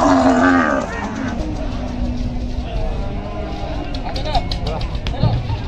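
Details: Cattle being unloaded from the river side: a loud, drawn-out, low moo fills the first two and a half seconds, then fades behind a murmur of human voices and crowd noise, with a few faint knocks and thuds.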